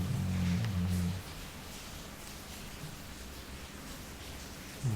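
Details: Jully, a Labrador, snores while sleeping: one low, droning breath with stacked harmonics lasting about a second at the start, then quiet room hiss, and another breath just beginning at the very end.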